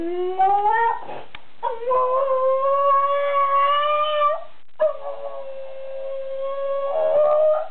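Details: A dog "singing" his favourite song howls in long, rising, wavering notes, holding each tone for several seconds.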